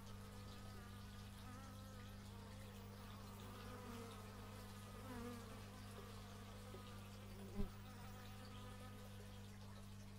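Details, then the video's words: Bees hum and drone nearby, recorded outdoors with an x/y stereo microphone. The pitch drifts gently as they fly, over a constant low hum, and a single sharp click sounds about two-thirds through. "Bee movie but its just bees"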